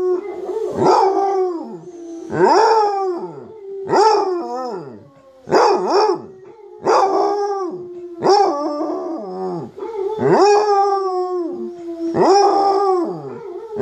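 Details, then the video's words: Pet basset hound Munson joins in while recordings of howling basset hounds play: a long run of about eight mournful howls, each rising sharply then sliding down, packed closely with brief dips between them. "Munson our basset hound howling"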